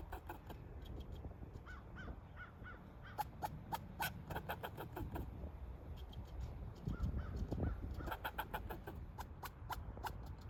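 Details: A squirrel scolds a person it dislikes with sharp, harsh barks in irregular bursts over a low background rumble.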